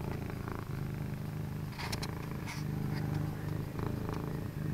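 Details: Purring from Penny, an all-orange cat, or Havoc, orange and white, in an office late at night; a steady deep rumble pulsing in breath-length phases, with brief clicks and rustling in the middle.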